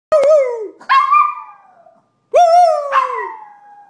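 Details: A female Maltipoo howls on command in two drawn-out, wavering bursts, each breaking upward then sliding down.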